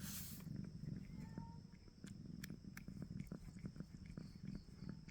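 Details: Pet cat giving a continuous low purr, rough and rumbling, with a brief burst of noise at the start and scattered faint clicks over the rhythmic breathing pulses.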